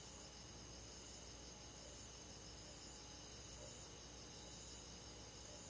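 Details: A calm cricket chorus from a rural forest on a summer night, many insects trilling at once in a level, high-pitched sheet of sound, with no single caller standing out.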